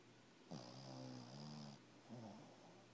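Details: A Shih Tzu puppy, asleep, snores with a low, rattling breath that drones for about a second.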